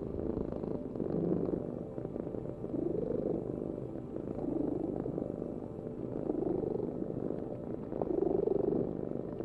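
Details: Cat purring close up, a continuous low vibrating rumble whose loudness rises and falls in breathing cycles about every two seconds, with no other clear sounds.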